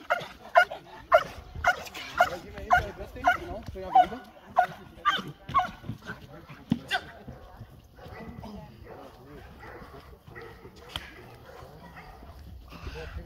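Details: Perro de Presa Canario named Nadja de la Arena at protection dog training with a decoy, barking in a steady run of deep harmonic barks about twice a second for seven seconds, then fainter, with speech alongside.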